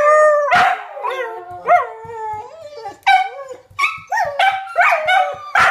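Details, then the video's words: Four dogs howling together in a neighbourhood in response to passing fire truck sirens; overlapping wavering howls with rising and falling pitch, sharp yelps and short barks breaking in, several voices layered at once. "Four Dogs Singing to the Fire Trucks"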